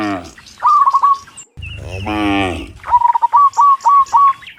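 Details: Cows returning from the fields to the pen in the afternoon, part of a herd of dozens: one drawn-out low moo sits among loud, rapid chirpy bird phrases before and after.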